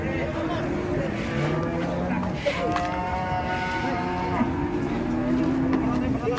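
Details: Giant cow (female) rampaging in anger while being loaded for transport beneath a tree said to be haunted; drawn-out low moos with rich rising and falling harmonics sound over a steady rumbling background with faint voices.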